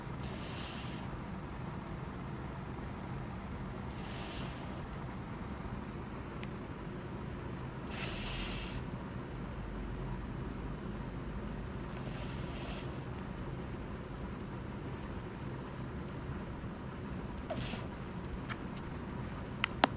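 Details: Sleeping deeply, the male Japanese Spitz Fishball gives breathy, rasping snores about every four seconds, one longer and louder near the midpoint, followed by faint clicks toward the end in an otherwise quiet indoor setting.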